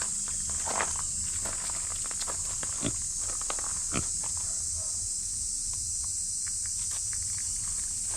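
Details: Shrill cicada buzzing, described as noisy, holds constant and high through the stretch. A female micro pig moves about underneath, with scattered footsteps, rustles and clicks.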